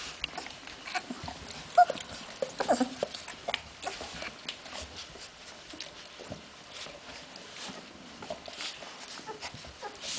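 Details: Hungarian Vizsla puppies, recorded 15 February 2011: brief, faint whimpers and squeaks come irregularly over scattered clicks, scuffles and rustling.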